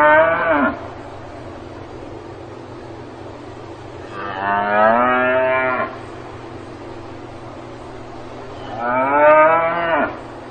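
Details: A cow on a farm gives long, rich moos, each lasting about two seconds, separated by quiet pauses.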